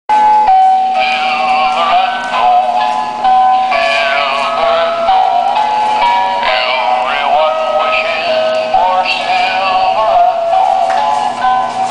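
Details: Synthetic-sounding singing over steady music in a small room, with no animal sound heard.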